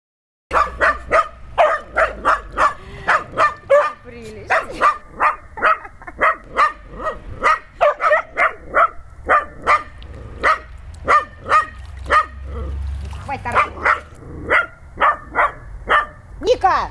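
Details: Dog playing with water, giving a long run of sharp, steady barks about twice a second, with a brief pause near four seconds before the barking resumes at the same pace.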